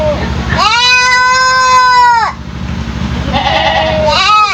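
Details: Three-month-old goat kid known for an unusual, odd voice; one long, steady, strongly harmonic bleat lasting about one and a half seconds, followed by a shorter rising cry, over low mechanical hum.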